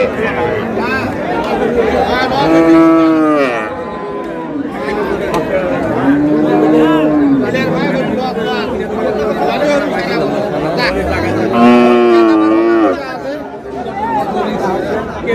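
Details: Market cattle, cows with calves, at Ambari Haat in Dinajpur on April 24, 2026: three separate long moos, each swelling and curving down, spaced a few seconds apart, amid loud chatter and haggling voices.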